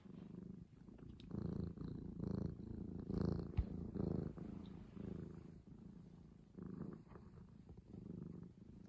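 A tiger gives a deep, rumbling purr in steady pulses, rising and falling with each breath.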